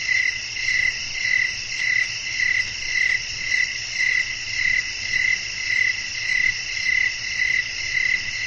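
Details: Night-time nature ambience with blowing wind and crickets. Short high chirps repeat evenly, almost two per second, above a constant bright hiss of other insects filling the background.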